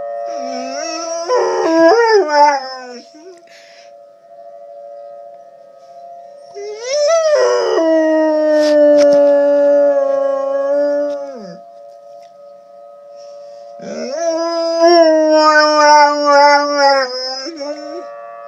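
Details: Domestic dog howling with tornado sirens sounding in the background: three long, wavering, tonal howls, each several seconds, sliding up then gliding down, with a steady siren tone running underneath throughout.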